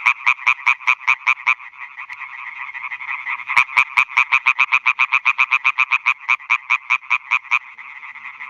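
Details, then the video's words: Nocturnal chorus of male European tree frogs at new ponds in a Schleswig-Holstein meadow, calling to attract females; quick regular croaks in long runs, one strong nearby caller overlapping a steady background chorus. "Rufende Laubfrösche (Hyla arborea)"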